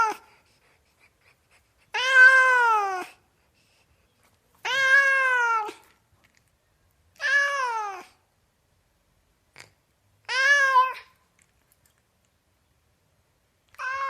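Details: Pet cat repeating short descending meows about every two and a half to three seconds, five full calls and a clipped final one, each clean and harmonic in a quiet indoor setting.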